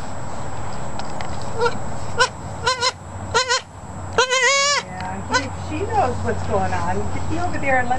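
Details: Newborn quadruplet goat kids just born to their mother, heard with wavering, quavering bleats around 4 seconds, shorter bleats before, a woman speaking over them and a steady motor hum from a generator throughout.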